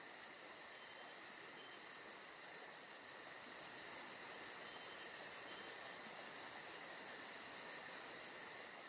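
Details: Crickets on a calm summer night in Georgia, sounding as a rapid, metronomic high trill of about two and a half pulses per second over constant lower insect drones and faint background hiss.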